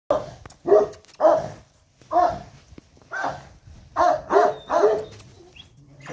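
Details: A 13-week-old male Central Asian Ovtcharka puppy barking in a series of sharp, mid-pitched barks, single and in quick pairs or triplets, with short pauses between bursts.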